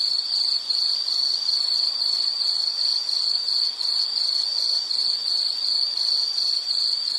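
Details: An insect gives a continuous shrill chirring, beating about 160 times a minute in a loosely regular pulse, with thin higher overtones and a faint airy background.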